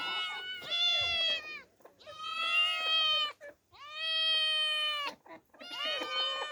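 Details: Demi and Dena, two orphaned female cats exploring outdoors for the first time. Four strong, drawn-out meows, each about a second long with rich overtones, come at a steady pace, split by brief silences.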